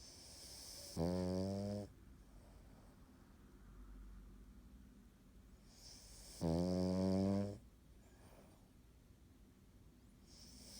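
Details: An, a sleeping Cavalier King Charles Spaniel, gives two rasping, low snores about five seconds apart, each lasting around a second, with quiet breathing in a small room between them.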